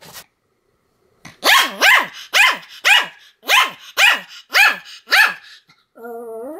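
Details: Continuous barking from Sam, a Pomeranian: eight sharp, bright barks about every half second after a short silence, ending in a drawn-out whine.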